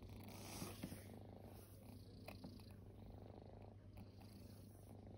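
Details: Resting kittens, formerly homeless, purr indoors: a soft, low, continuous rumbling throb runs through, very quiet, with a few faint clicks and rustles on top.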